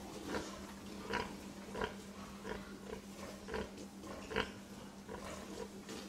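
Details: Pig grunting in brief, low, throaty pulses, about seven in six seconds, spaced irregularly, with a steady background hum.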